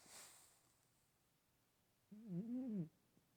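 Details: Chubby house cat asleep and snoring, one brief nasal, wavering whine lasting under a second after a soft breath, in a quiet room.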